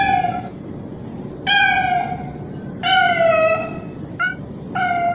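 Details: A young male street cat gives loud, drawn-out tonal meows, presented as a mating call to a female, though the feeder thought he might be hungry and gave him food.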